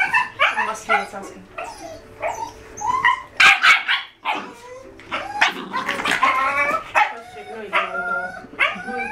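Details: Five-month-old Jack Russell Terrier puppies, male and female, in wild play: high yelping barks and whiny rising yips in quick irregular bursts, with sharp noisy thumps midway and some background voice.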